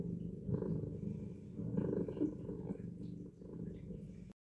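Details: Close, low purring of a house cat kneading a soft faux fur blanket before falling asleep; rumbling purr swelling and fading with each breath, about three cycles, ending abruptly.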